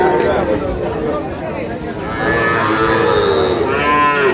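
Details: Small bull and heifer calves, including Sahiwal, at a cattle market in Pabna, Bangladesh, on 12 May 2025; drawn-out, harmonic moos, some overlapping and rising in pitch near the end, over a steady murmur of crowd chatter.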